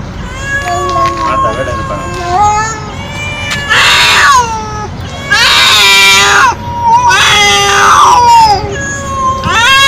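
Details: Stray feral cat meowing very loud and nonstop: drawn-out harmonic meows, several rising then falling, some harsh and strained, following closely one after another, with a steady faint hum underneath.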